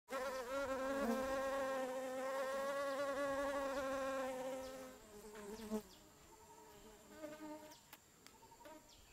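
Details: Blue-banded bee (Amegilla sp.) licking a tripod in deciduous dipterocarp forest, Mae Ping National Park, Lamphun, Thailand; a steady, rich droning buzz holds for about five seconds, then breaks off, followed by a few brief, fainter buzzes.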